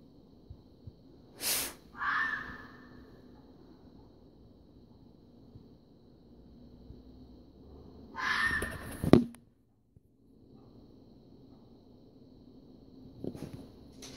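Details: A fox gives harsh, raspy screams in short bursts, a mating call in the forest during an unusually warm February week in early spring, the animal coming closer with each call.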